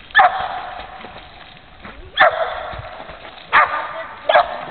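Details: Female dog barking while swimming, four sharp, loud barks spaced irregularly about every one to two seconds, with splashing water and noise between them.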